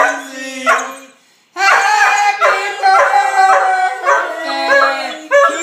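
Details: Domestic poodle singing along to Happy Birthday. A short howl and a pause, then a sustained, rich, wavering howl that shifts pitch for several seconds. A low steady sung tone runs alongside.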